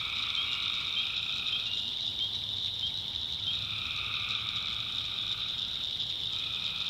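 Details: Night chorus of tree frogs in a swamp in the backwoods of North Carolina: a dense, steady high-pitched trilling wall of sound, overlaid by lower buzzy trills that swell and fade in drawn-out waves lasting several seconds.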